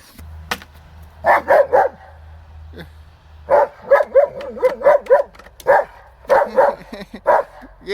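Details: Bear, a German Shepherd, barking while attacking a chair outdoors in snow: rapid clusters of loud gruff barks, two or three at a time with short pauses, a low hum underneath and brief human voice.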